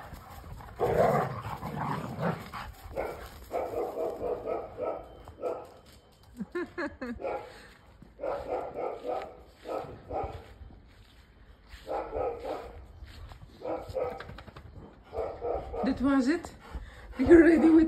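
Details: Two Labradors, a mother and her daughter, play and chase each other in a garden; gruff, throaty barks and growls come in short bursts about every second or two, with pauses of rustling between them.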